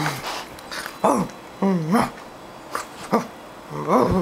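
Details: Thirteen-week-old Doberman puppy indoors, wanting some breakfast cereal and trying to climb over the couch; clear rising-and-falling whines and short yelps come in bursts, with a person talking to him.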